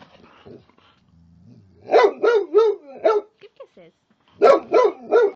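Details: A frightened Boxer named Charlie, reacting to a teddy bear at home, lets out a low growl, then two runs of three to four loud harsh barks separated by a short pause with small whimpering squeaks.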